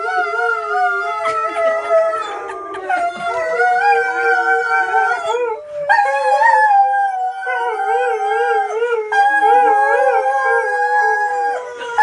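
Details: Two pet dogs howling along to an ice cream van chime, with a person joining in; overlapping wavering, sliding howls run continuously for about twelve seconds, with a brief pause near the middle.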